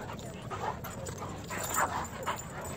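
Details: A Great Dane wrestling with an 8.5-month-old Irish Wolfhound gives short, rough grumbles and whiny yips in quick, irregular bursts.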